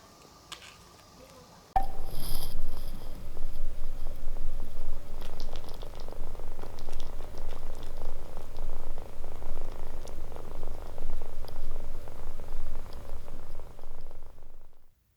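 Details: Kittens that warm to people quickly: a steady low rumbling purr in deep pulses begins abruptly after a short quiet start, holding close and loud for the rest of the stretch before cutting off at the end.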